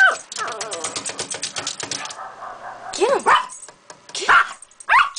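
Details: Jake, a Toy Poodle, attacking a lizard cage, eager to know what is inside: a rapid run of harmonic yaps for two seconds, a brief pause, then three sharp, high, arching barks spaced about a second apart indoors.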